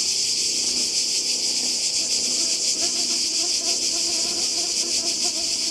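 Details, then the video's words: Cicadas calling by the sea in Croatia in summer 2020: a dense, steady, high-pitched shrill buzz that never breaks, with a faint rapid pulsing texture. Soft, low, murmuring sounds sit faintly underneath. "Kroatien Zikaden und Meer"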